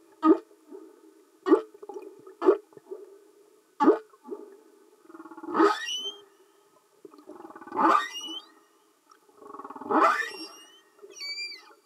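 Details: Underwater humpback whale song: a run of short sharp pulses about once a second, then three longer rasping grunts each finished with a quick upswept squeak.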